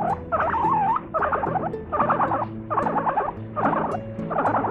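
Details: Domestic guinea pig laughing: about five loud chattering bursts, each near a second long with short gaps, rippling fast pulses, and faint steady tones beneath.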